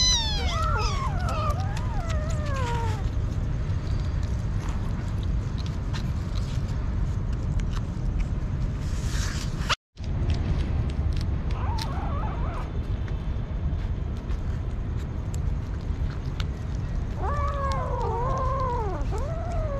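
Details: Hungry street kitten meowing, a few descending harmonic-rich meows at the start and a cluster of wavering meows near the end, over steady low rumbling background noise with a brief dropout in the middle.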